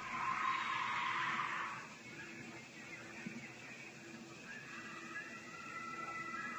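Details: During a hike at a lake, an animal gives one harsh, rasping, humanlike scream lasting nearly two seconds, then goes quiet; a viewer suggests a female bobcat mating call. Faint higher tones and a low hum follow.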